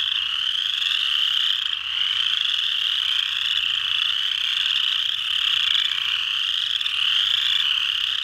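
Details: Massed chorus of Pseudacris frogs at Mud Hen Marsh in Delaware County, Ohio, recorded 12 March 2020. Countless creaking trills overlap continuously into a steady high-pitched wall of sound with gentle rises and brief lulls.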